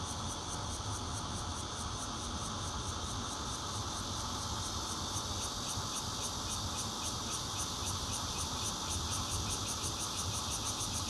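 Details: Bear cicada song captured from a fourth-floor home in Zhongli, Taiwan, 16 June 2013, with a Nokia Lumia 820 phone: an unbroken loud buzz with rapid, regular high pulses and steady low hum beneath.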